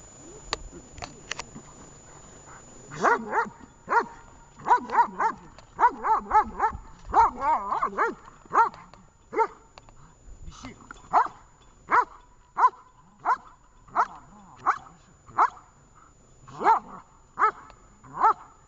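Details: Vesta the dog barking during training in Horlivka on 20 July 2019; after a quiet start, a rapid flurry of overlapping barks gives way to steady single barks about every second, with faint voices behind.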